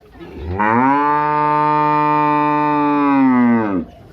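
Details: Village buffalo giving one long, steady, deep moo lasting about three seconds, rich in harmonics, swelling in at the start and dropping off sharply at the end.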